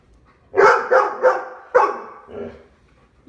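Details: At the door of an Omaha home, one of three Labradors (Lola, a four-year-old yellow Lab, with Dale and Max) lets out four rapid, punchy barks in just over a second, then a softer trailing sound.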